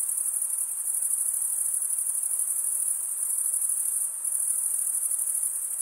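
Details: Chirping crickets, the sound produced by rubbing a wing's edge across a comb-like serrated vein, form a continuous piercing high trill with a brief softening near the end and nothing else audible.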